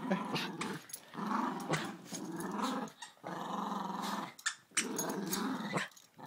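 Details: Dog growling while playing indoors: low rumbling growls in long bursts of about a second each, broken by short pauses, with a woman speaking briefly nearby.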